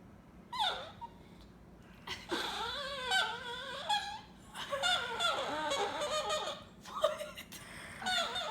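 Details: Chihuahua making odd noises in response to being snorted at; warbling, honk-like harmonic yowls that bend up and down in short bursts, the longest running several seconds, with small gaps of quiet between.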